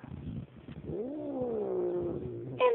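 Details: Domestic cat growling toward a puppy it outweighs: quiet rumbling, then a rising and slowly falling yowling moan, ending with a brief higher sound.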